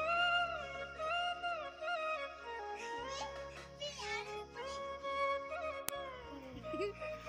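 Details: Bollywood-style music with sung melody plays throughout, with a brief sharp click near the end and no animal sound.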